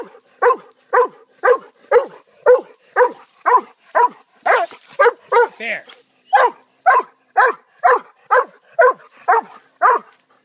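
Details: Pet dog barking steadily and insistently, about two barks per second for ten seconds, each bark short and punchy with an even rhythm.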